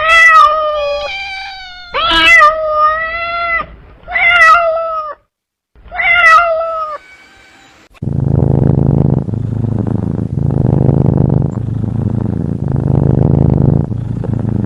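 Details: Cat meowing in a run of short, bright, wavering calls with brief gaps, followed by a steady low rumbling background with faint voice-like sounds.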